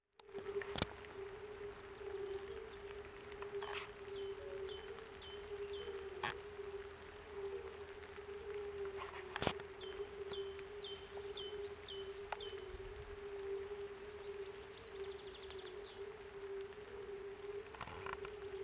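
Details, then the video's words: European fire-bellied toads (Bombina bombina) in spring, possibly mating season, give soft, low hooting notes merging into a steady mellow hum peaking near 400 Hz. The sound comes from all over a reedy pond, carries 100-200 m, and continues despite noise; no toads visible. "Strange pond noise - Fire-bellied Toad (Bombina bombina)"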